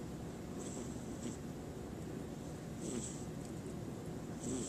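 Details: Domestic cat snoring while asleep before waking up; soft, low rumbling breaths recur about every one and a half seconds, each with a faint airy hiss, over a steady low background hum.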